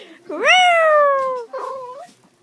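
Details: A dog met on a train gives a singing wail: one drawn-out note that swoops upward, then slowly falls for about a second. Brief lower voicing and people talking follow.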